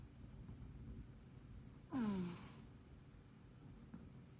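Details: A short-legged female Munchkin cat gives a single soft, breathy snore that slides downward in pitch.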